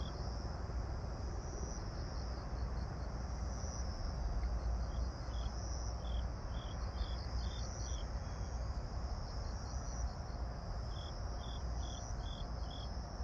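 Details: Grass insects sing on an evening of 26 September 2022 around 18:46, a continuous shrill trill overlaid with bursts of quick, evenly spaced chirps, while a heavy low rumble, likely an aeroplane taking off, runs underneath throughout.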